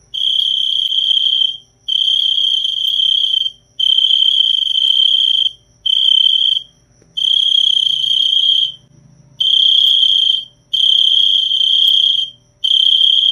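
A cricket trills in high, buzzy bursts of about one to two seconds, separated by brief pauses.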